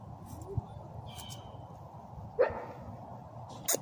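An English Bulldog gives two short, gruff bark-like bursts a second apart over a low background hum.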